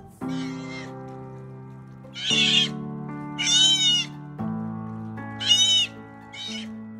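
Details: Sea otter (Enhydra lutris), squeals.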